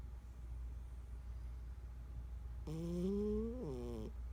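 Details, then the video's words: Sleeping 14-year-old domestic cat giving a single drawn-out snore about a second and a half long, a low buzzing tone that climbs gently then steps up near its end, against a constant low background hum. "14 year old snoring cat"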